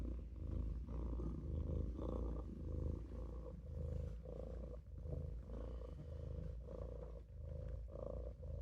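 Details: Sleepy Maine Coon kitten Olof lying in the sink gives a rich rumbling purr, swelling and easing in regular breath cycles of roughly one per second.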